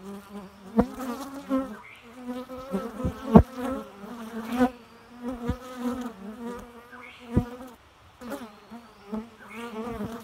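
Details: Bees buzzing with a low, wavering drone that swells and fades in overlapping bursts, a rich stack of overtones above the hum, punctuated by several sharp clicks or taps.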